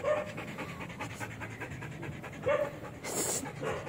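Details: Belgian Malinois dog panting during obedience training, rapid breathy pulses repeating steadily, with a short vocal sound near the start and another midway.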